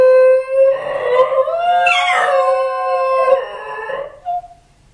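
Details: A pair of Basenji dogs, caught on hidden camera at home after their owner left, howl in long, wavering, tonal notes that rise and fall, apparently missing their owner.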